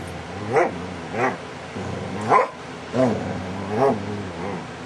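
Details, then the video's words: Pet dog DaVinci's funny vocal sounds, recorded July 2011, come as five arching moan-like cries, each rising then falling, spaced roughly a second apart over a low steady hum. "DaVinci's funny sounds"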